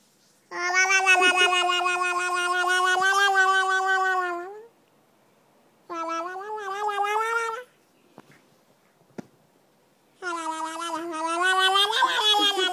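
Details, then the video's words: Cats at play making funny sounds: three long, steady, harmonic-rich cries, each held for two to four seconds with a slight waver, separated by quiet gaps with faint clicks. "Cute kings playing and making funny sounds"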